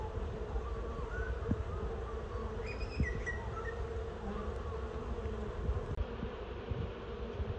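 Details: Honey bee swarm being coaxed into a box below it, steady low droning hum with a few brief higher whining passes from single bees flying close.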